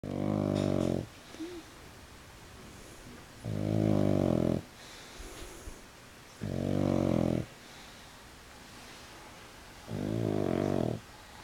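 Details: Pug, a male, sleeping on his back with legs up for the first time, snores loudly: four rough, rasping breaths about a second long, repeating roughly every three seconds, with quiet pauses between, indoors.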